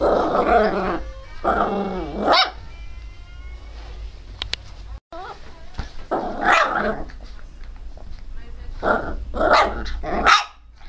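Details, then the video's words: Pinscher dog barking fiercely and loudly, with bursts of rough, harsh barks and growly yaps in uneven clusters and brief pauses between, ending abruptly. "pinscher latindo bravo - pinscher latindo alto"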